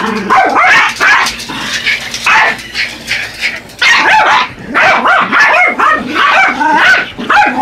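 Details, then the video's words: Yorkshire Terriers Buddy and Elmo going after a remote-control truck: bursts of shrill, excited yips and snarling barks in clustered volleys separated by brief lulls, with a low mechanical hum underneath. "Attack of the Yorkies"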